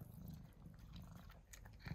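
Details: Pet cat, one of two named Mouse and Remi, going crazy for a tuna treat indoors; steady low rumbling purr with soft chewing and smacking clicks on top, mild room noise.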